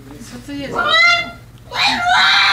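A pug gives a high, drawn-out howl with a strained, wavering tone, broken by a brief pause.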